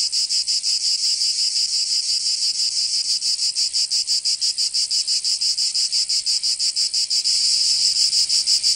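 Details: Steady summer song of cicadas in Provence, in France's south: shrill buzzing pulsed about three times a second, swelling slightly louder and smoother near the end.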